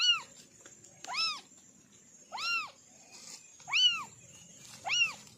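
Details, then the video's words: Kittens from a family of four, calling in a sound test: five clear, high, arched meows, each about a quarter second long, spaced roughly every 1.3 seconds, with a faint steady high hiss behind. "Kitten sound test"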